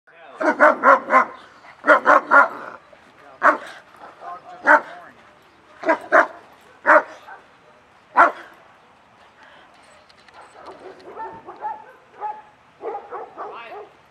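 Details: German Shepherds at a social training class on 20 June 2020, reacting with excitement as the class begins: loud, harsh barks in quick clusters of two or three, recurring every second or two, then quieter whines and yips toward the end.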